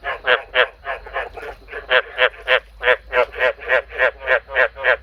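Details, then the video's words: Male frog calling in a steady series of harsh, pulsed croaks, about three to four per second, each a short buzzy burst with a rich harmonic spread. A faint low hum sits underneath. "This is the sound of the male frog I bred last night."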